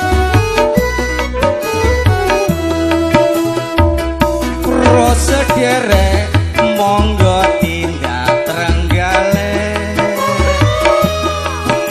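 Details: Loud folk music with tabla-like percussion, plucked instruments and singing plays throughout; no animal sounds are heard.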